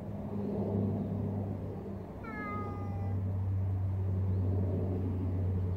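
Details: A large street cat lets out a single clear meow that slides gently downward, set against a constant low engine-like drone.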